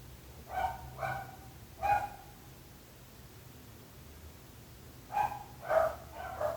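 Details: Dogs barking persistently, a nuisance to neighbours, in short harmonic barks in two clusters separated by a quiet gap of about three seconds; steady low hum beneath.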